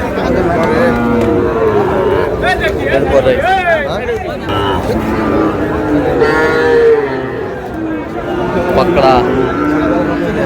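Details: Sahiwal bull calves bought by a Chattogram farmer in Bangladesh, 24 July. A loud, drawn-out low with bending harmonics rises mid-clip, then further lowing follows, all over busy market chatter, haggling voices and traffic.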